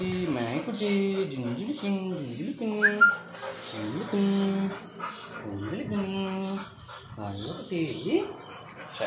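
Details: Labrador Retriever whining in a repeated series of high, wavering, harmonic whimpers that rise and fall in pitch, each lasting under a second, with a brief squeak and faint background noise.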